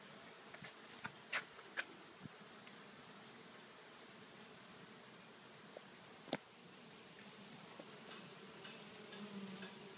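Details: Large swarm of bees gathered on a kumquat tree in a front yard: steady dense buzzing hum, with scattered clicks and light knocks over the drone.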